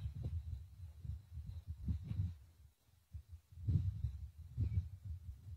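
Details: Male lion at Plains Camp roaring to contact his brother, 5 November 2023; deep, low throbbing grunts in a rapid series, a short pause near three seconds, then two stronger heavy grunts.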